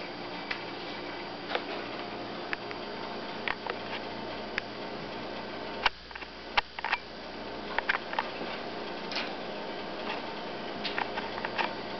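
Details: Quiet indoor room noise with scattered sharp ticks and taps, including a few louder knocks near the middle, and no animal voice.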